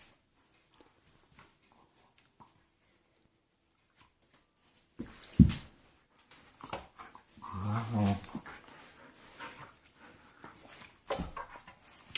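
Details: German shepherds playing and making odd noises: five seconds of near silence, then sudden bursts of rough growling and grunting, with a louder moaning growl around the eighth second and scuffling.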